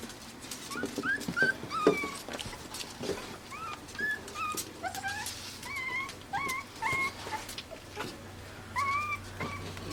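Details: Pembroke Welsh Corgi puppies, AKC-registered, born June 20, 2026, in Arkansas, whimpering and squealing indoors: repeated high thin cries, many rising then falling, overlapping from several pups, with soft rustling and clicks in between.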